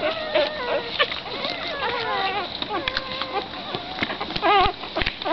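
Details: A litter of six black greyhound pups with mother Hoochie Mama squeal and whine in bursts, with tremulous, bending cries layered together and a louder, quavering yelp near the end amid small thumps.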